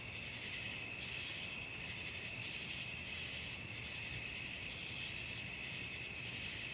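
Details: Night crickets trilling nonstop, a bright high-pitched shimmer that swells and fades in quick regular pulses, layered into several steady tones over a soft low rumble.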